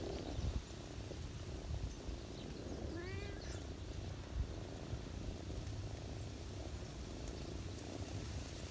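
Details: Ginger cat family on someone's knees in autumn, the mother purring as she feeds her kittens: a soft low rumble throughout and a single brief rising mew near the middle.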